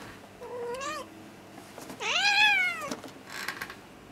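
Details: British shorthair cat, said to turn instantly aggressive when disturbed, giving two complaining meows indoors: a short rising one, then a louder, longer meow that swoops up and falls, with soft rustling between.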